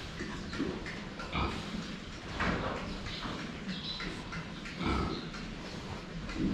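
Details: A group of pigs drinking, viewed from the front; low, gruff grunts repeat every second or two, mixed with snorting and the splash of water being lapped.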